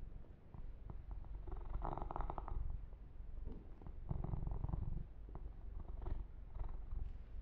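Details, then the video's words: Yumak, a male pet kitten, purring while being massaged and groomed, recorded ear to ear; a steady low rumble runs throughout, overlaid by bursts of crackly rubbing and fur-brushing noise. "Kitten Massage - Perfect Sleep Helper Ear to Ear Purring"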